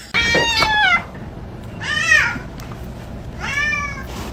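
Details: Domestic cat giving three arched, rising-then-falling meows spaced about 1.5 seconds apart, each bright and harmonic-rich, with a quiet indoor background between calls.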